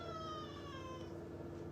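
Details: Cats out in nature in the morning: a long, thin, whining meow with a falling tone lasting about a second over a steady low hum, with a man speaking softly nearby.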